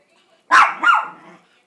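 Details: One of two pet Chihuahuas singing for a treat; a single drawn-out yelp that rises and bends into a short wavering howl before fading.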